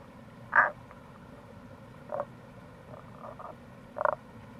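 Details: Fainter Tago's brown frog (Rana tagoi) chorus recorded in April near a gorge by the Kamo River, Itoshima, Fukuoka, Japan: two louder brief croaks about three and a half seconds apart, a weaker one between, over steady low rushing noise.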